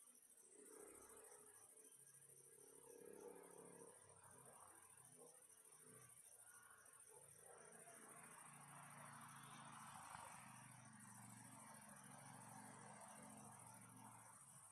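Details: Crickets chirping continuously as a calming bedtime soundscape, a constant high shrill trill with short breaks, layered over louder, softer-pitched rustling and murmuring background noise that swells and fades.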